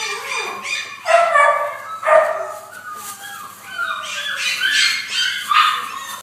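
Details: Blenheim-coloured Cavalier King Charles Spaniel, recorded 2-10-12, giving a run of high, tonal whining yips: squeaky cries near 1, 2 and 4 to 5.5 seconds, some sliding downward, with quieter whimpers between.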